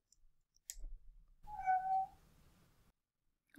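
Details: Adult domestic cat mewing because she wants a door opened: a single short, high-pitched, tonal mew lasting under a second, with faint clicks before and after in a quiet small room.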